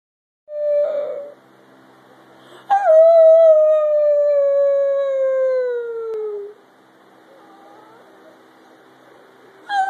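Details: Pet Chihuahua howling indoors, prompted by a person's improvised sound: a brief tone, then one long sustained howl with clear harmonics, gently falling in pitch over about four seconds before stopping; quiet background.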